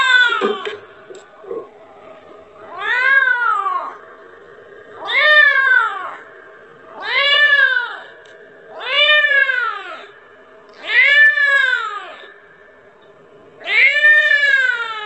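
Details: A kitten cries for its mother, wanting milk. A few short soft noises come first, then six strong, arching meows, each rising then dropping, spaced about two seconds apart against a quiet indoor background.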